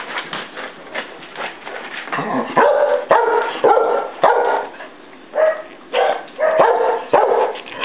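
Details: Copper and Mooney, two 10-week-old Cardigan Welsh Corgi puppies, tear around playing, giving bursts of short yipping barks and growly whines in uneven clusters, with quiet gaps between the louder outbursts.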